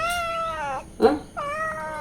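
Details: Domestic cat and kittens meowing loudly while demanding milk at mealtime; two long harmonic meows, the first steady then falling, separated by a short burst of sound near the middle.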